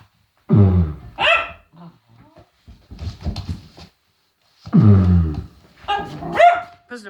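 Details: William, a scared Cavalier King Charles Spaniel, lets out two low, gruff woofs several seconds apart in reaction to silliness, with a woman's voice talking between them.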